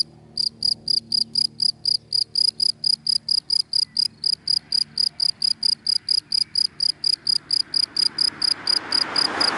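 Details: In dry grass by day, a cricket repeats crisp high chirps about four times a second, while a passing car's rushing noise swells up toward the end.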